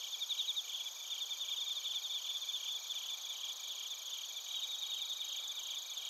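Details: Crickets and bell crickets in Narita, Chiba, Japan: a faint high trill with quick chirp bursts over a hissy night background of many insects, a louder pulsed run opening the stretch.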